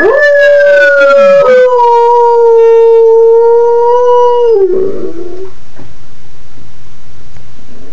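A dog gives a long, steady, mid-pitched howl in response to a passing siren.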